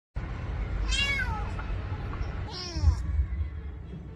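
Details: Domestic cat meowing, grown from kitten to adult; two short harmonic meows with falling tones, the first high and sliding down near one second, the second around two and a half seconds, over low room hum.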